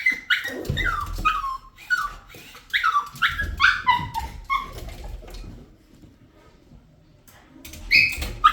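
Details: A dog gives rapid, whistled, falling whines in quick succession for about five seconds, then goes quiet before two more short cries at the end, with a person's voice nearby.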